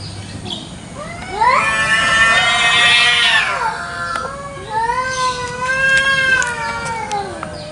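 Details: Free-roaming village cats in a morning garden fight, battling over territory: a harsh, strained yowl swells and holds, then breaks into a quavering drawn-out wail that climbs and dips, with short clicks scattered behind.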